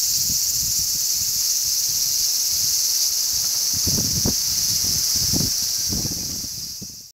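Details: Numerous large brown cicadas chirping on a zelkova tree, 3 August 2010, in strong sea breeze. A dense, steady, high sizzling drone carries on, with low rumbling wind gusts, then fades away over the final second.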